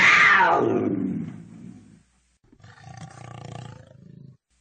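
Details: One strong cougar scream opens loud and high, then sinks and fades over two seconds, followed after a brief pause by a lower, grainy rumbling exhalation.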